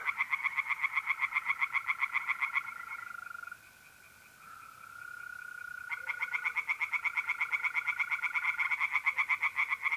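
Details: North-east Italian pond by night in the middle of April, tree frogs calling in fast rhythmic croak series, pausing briefly mid-clip when only the mole crickets' sustained trill remains, then resuming loudly.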